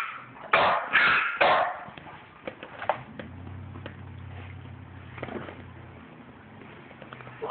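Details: French Bulldog, two dogs including a 9-week-old puppy having a disagreement indoors; three loud harsh yips in quick succession near the start, then scattered quieter clicks and thumps with a low hum.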